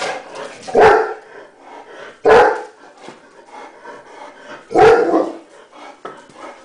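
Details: German Shepherd dog barking indoors behind a closed window at a neighbourhood cat in the yard; three loud, harsh barks at roughly 0.8, 2.3 and 4.9 seconds, with quieter room noise between them.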